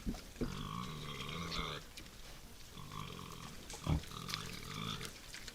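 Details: Wild boars at a forest feeder after dark give two long, nasal squealing cries, each lasting over a second, mixed with deep grunts and a brief thump between them.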